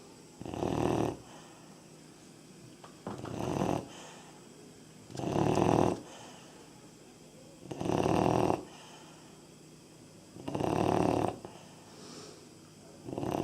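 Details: Sleeping Labrador Retriever puppy, 3.5 months old, gives six steady raspy snores, each under a second, spaced roughly two to two and a half seconds apart in a quiet room.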